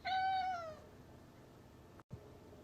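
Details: A house cat indoors asks to be let outside with a single clear meow that holds steady and then slides downward, followed by near silence in a small room.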